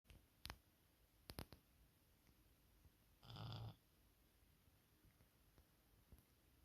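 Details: Maine Coon cat asleep indoors, giving a single short rasping snore near the middle, with scattered clicks and faint room noise before and after.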